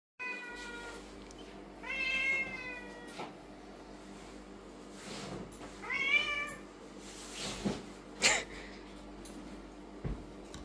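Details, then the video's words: Lynx point Siamese cat meowing loudly indoors during a shopping haul with new toys and food; two long harmonic meows with rising then falling pitch around two and six seconds, plus rustling and clicks. "Cat Shopping HAUL with loudly meowing Lynx point Siamese cat"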